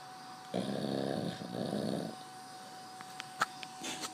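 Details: Pet dog asleep on a bed: one long, rough, low rattling snore lasting about a second and a half, then quiet with a few soft clicks and a steady faint electrical hum indoors.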